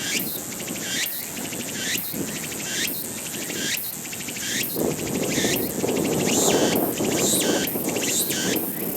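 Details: A Walker's cicada calls in rapid rhythmic bursts, each a buzzing pulse with an upward-swooping whistle, repeated every second or so over a dense, loud insect drone that swells toward the end.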